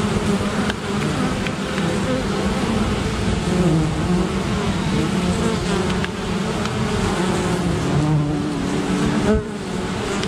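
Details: Honey bees make a dense, steady, low buzz of many wingbeats as they defend against an attacking great black wasp.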